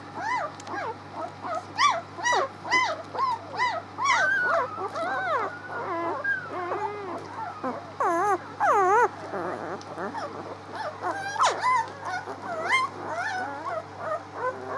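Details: Pups six days old, recorded 19 March, crying in a long run of wavering whines and squeals, some sliding up and down, many overlapping, with occasional clicks and a steady hum in the background.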